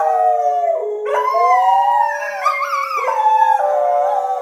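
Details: Domestic dogs, a Thai Bangkaew and a Rottweiler, join in howling with their owner. Layered sustained howls step up and down in pitch, voices crossing and overlapping throughout.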